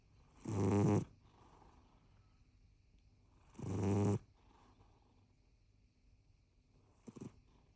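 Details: Rescue cat, four years seven months old, snoring: two deep, rough, buzzy snore breaths about three seconds apart, then a faint short sound near the end, quiet in between.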